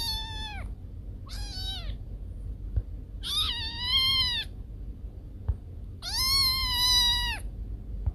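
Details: Cat calling, used as a rat deterrent: four bright meows in eight seconds. Short ones alternate with longer, level, strongly harmonic ones, over soft low background rumble.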